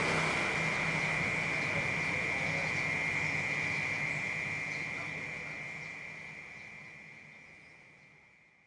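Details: A cicada in the city drones in a steady, high buzzing whine that fades out toward the end.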